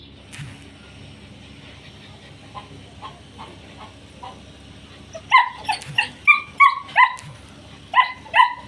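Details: Male short-coated German Shepherd puppies offered for sale in Pakistan; after a low hum and faint scattered sounds, a burst of about a dozen sharp, high yelping barks falls quickly in pitch, several per second, over steady background hum.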